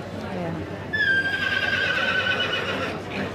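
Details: Welsh Cob-type yearling colt lets out one drawn-out neigh: a sudden high onset, then a wavering, gently descending tone held about a second and a half, fading out, with low background voices and movement noise.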